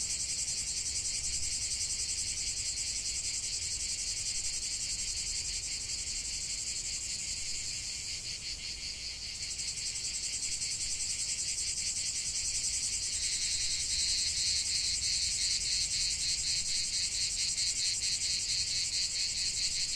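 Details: Cicadas chorusing in the heart of a lavender field, a relentless high-pitched rasping drone with a rapid pulse. Midway a slight dip, then a second, even higher buzzing voice joins in and the whole chorus grows louder.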